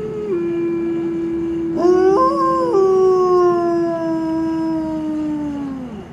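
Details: Captive gray wolves howling in the afternoon at Como Park Zoo, Saint Paul, Minnesota: one long steady note with a second higher voice rising and wavering over it; Gray wolf.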